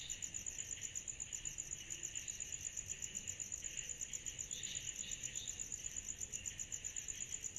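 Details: Summer-night cicada chorus, a shrill, high, evenly pulsed buzz beating roughly three times per second, with softer, lower scratchy trills rising briefly in the middle, over quiet low rumble.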